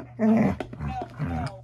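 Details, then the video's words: Siberian Husky being dramatic: a short, throaty, growling grumble that breaks into two or three rough bursts over under two seconds, over a steady low background hum. "huskies being dramatic for 12 minutes"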